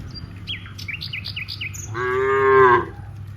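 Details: A herd of dozens of cows heading from rice fields toward a village; repeated short bird chirps first, then a single rising, harmonic moo of about a second.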